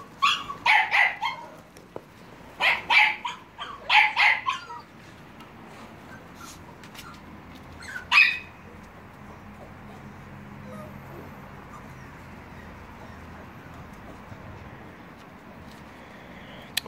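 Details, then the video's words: Litter of American Staffordshire Terrier and Staffordshire Bull Terrier puppies, 30 July 2017, yipping in a rapid cluster of shrill barks over the first five seconds, one more lone yip soon after, then a long quiet stretch. "american stafforfshire terrier's and staffordshire bull terrier's puppies"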